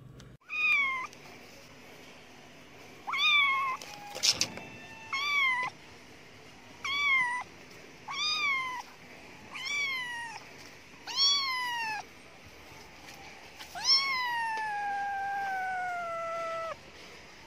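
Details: Lost kitten, female with differently coloured eyes, found in the street: about nine clear, tonal meows every one to two seconds, most with a rise and fall. The last is long and slowly falling, with a brief rustle near the start.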